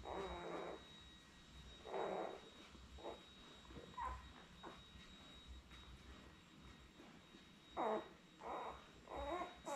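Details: Newborn Labrador Retriever puppies, seven born May 24, 2021, with their mother Belle on a live puppy cam on May 30; short squeaky whimpers and squeals come in separate bursts every second or two over a low background hum.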